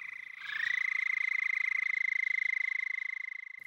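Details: An endangered Houston toad in the Lost Pines forest of Bastrop County, east-central Texas, gives its mating call, a long, high, steady trill that rises briefly at the start.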